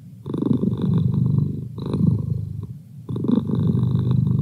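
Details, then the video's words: Male pet cat purring close by indoors: a loud, grainy low drone in three long surges separated by brief dips in loudness. "Cat Purr"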